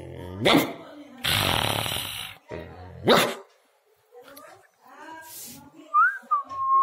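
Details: Pet pug dog indoors giving two short, sharp barks a few seconds apart, separated by a long burst of rustling noise, then a brief high, rising and falling whine-like tone near the end, with faint voices in the background.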